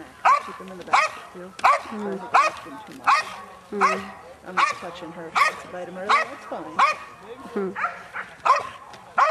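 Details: Female Belgian Malinois named Chaos, 7.5 years old, at the 2009 NARA Championships French Ring decoy selection during guard of object: loud, regular barks about every 0.7 seconds, with a man talking between them.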